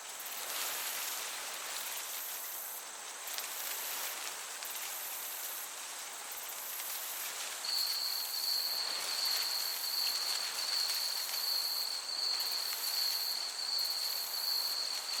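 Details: Crickets in a summer meadow: a steady high pulsed trill starts about halfway through and runs to the end, over a constant soft hiss of gentle breeze, with faint rhythmic high-pitched pulsing above.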